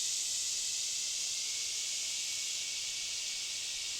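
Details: Deep in a forest reached after a hike of a few miles, cicadas drone in a steady, high-pitched, hissing buzz that never breaks or changes.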